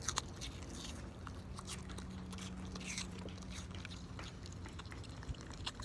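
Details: A pig eating an apple indoors: quiet, irregular crunching and chewing clicks over a steady low hum, with a faint sustained tone partway through.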